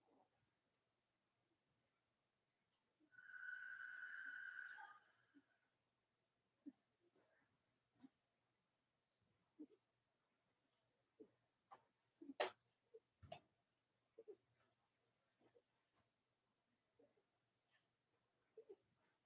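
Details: Cavalier King Charles Spaniel puppy, one of Robin and Myra's, on a chilly Monday morning: a single sustained high whine of about two seconds, then soft scattered clicks, taps and shuffling noises.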